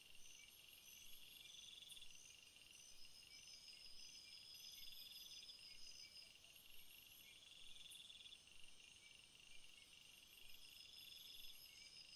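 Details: Field crickets heard as a dense chorus of high, continuous trills, with short pulsed chirp bursts recurring every few seconds over the steady insect hum.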